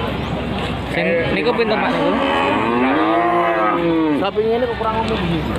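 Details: Cattle at the Wage market in Panggul, Trenggalek, lowing with a long, drawn-out moo that rises and falls in the middle of the clip, over constant crowd chatter and traders' voices.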